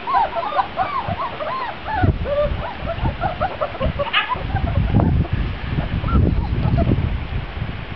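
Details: A litter of Grand Basset Griffon Vendéen pups on their first time outdoors, 23 June 2009: a burst of overlapping squeaky yelps at first, then low rumbling handling noise and thuds with occasional squeals.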